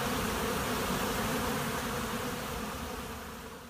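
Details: A swarming honey bee colony at a monastery apiary hums as a dense, grainy drone. It is loud at first, then slowly fades over the last seconds.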